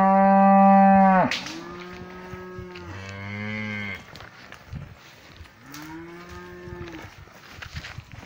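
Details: Cows mooing in a pasture: one loud, sustained low moo cuts off sharply, followed by several shorter, quieter moos with falling and rising tones, fading toward the end.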